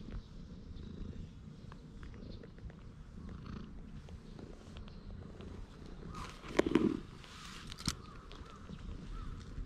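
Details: Stray community cat already in a good mood, growing happier when shown a cat grooming brush, recorded on a GoPro HERO8; a low, steady purring rumble runs throughout, with a brief rustling scrape near the seventh second.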